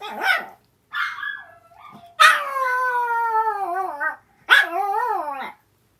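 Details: Howls from an older sister dog responding to the younger dog's cries indoors: short whimpers open, followed by a long wavering howl falling in pitch with small warbles, and a second shorter howl that rises then drops.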